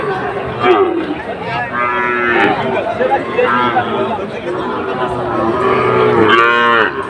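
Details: Sahiwal bull calves for sale at a Bangladeshi market in Cumilla, 17 August 2024: scattered short moos through the clip, ending in one strong, harmonic bellow, with crowd noise and talk throughout.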